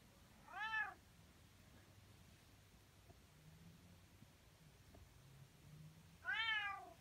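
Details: A Bengal cat gives two short, arched, loud meows several seconds apart, asking for attention, usually its way of asking for food.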